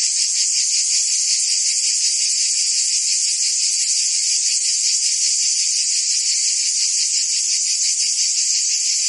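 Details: Cicadas singing in summer in Provence, France: a dense, continuous high buzzing drone with a fine rapid pulsing, steady in loudness throughout, no other clear sounds.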